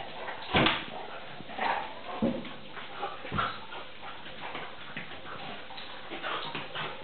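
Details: Vizsla puppy, three and a half months old, playing with a pointer in rough play that looks like fighting; a series of short gruff growl and grunt bursts, scuffling between them, a louder burst near the start.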